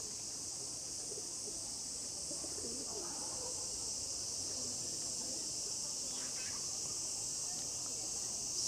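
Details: Cicadas in summer at Kamakura, Japan, fill the air with a steady, high, hissing drone, deafening near the trees, while a voice speaks faintly underneath; many cicada varieties there make different sounds.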